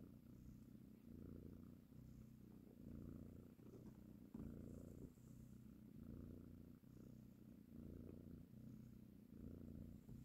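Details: While feeding and caressing her kittens, a mother cat purrs in a soft, low drone, each breath forming a phrase of about one and a half seconds, repeated evenly throughout.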